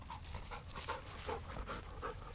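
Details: Fourteen-month-old English Lab panting between heel and sit commands in field training; steady breathy huffs repeating roughly twice a second under a man's spoken commands.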